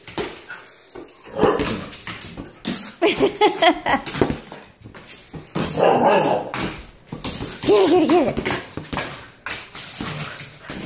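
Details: Nala, a pet husky acting wild and playful at home, gives a series of wavering, harmonic yowls and whines with a sliding pitch. They are broken up by clattering noises and a person talking in the background.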